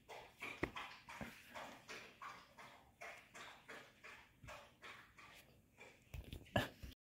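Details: Doberman demanding attention, giving a steady series of short whining and grumbling vocalizations about every third of a second, with a few sharp knocks near the end.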